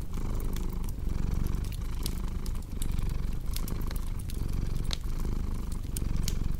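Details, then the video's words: Deep, continuous cat purr with a rhythmic swell and dip at each breath, roughly every 0.8 seconds. Bright snapping crackles from a burning fireplace break through repeatedly. "Purring Cat"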